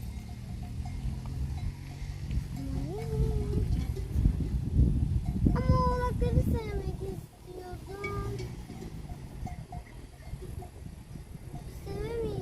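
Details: A herd of goats roaming freely on a mountain in Turkey bleat in wavering, nasal cries, with clanking bells and people talking nearby.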